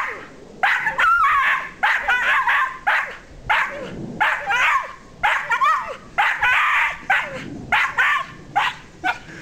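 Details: Rosie, a pet dog, climbing a tree in her yard and making what her owners call monkey noises: rapid bursts of harsh, yelping barks with wavering squeaky yips, coming in quick clusters with short pauses between them.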